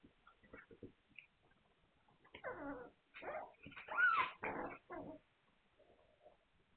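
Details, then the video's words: Hungarian Vizsla puppies, 9 March 2021, give a run of high whimpers and whining yelps, several drawn-out squeals bending downward in pitch, bunched over about three seconds after soft scattered snuffles, then fading to quiet murmurs. "Magyar Vizsla Welpen"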